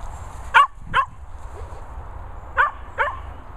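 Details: Dogs, a Cocker and a Corgi named Willow and Marshall, running about in Worcestershire countryside; four sharp barks in two pairs, each pair about half a second apart, with a low rumble of wind or handling noise beneath.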